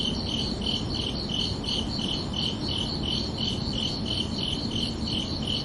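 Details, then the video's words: Night-time cricket chorus of a summer evening, gentle high chirps repeating about three times a second in an even rhythm, layered over a continuous low-frequency hiss. "Calming Cricket Sounds for Relaxation"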